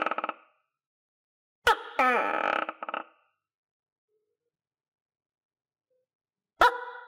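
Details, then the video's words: Pet tokay gecko, recovered enough to feed itself on crickets, utters one full harsh double croak led by a sharp click, preceded by the tail of another call and followed after a long silence by the start of the next. "Sound Of Tokay Gecko"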